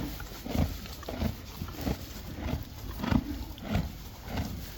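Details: Hay-eating Friesian horses and foals, crisp rhythmic crunching about every half second, each bite a sharp grinding burst, with a faint low background rumble.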